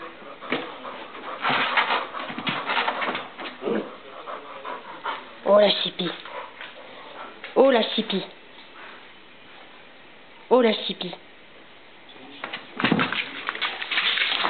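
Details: A bulldog romping after its nap, indoors. Panting and short tonal whining yelps rise in spaced bursts about every two to three seconds, while people talk over it.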